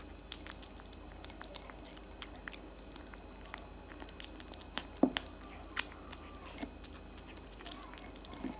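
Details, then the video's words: Indoor recording of a tabby cat eating cat food loudly: continuous wet chewing and crunching, a cluster of sharp bites around the middle, and faint background voices. "eating cat food for 5 minutes straight"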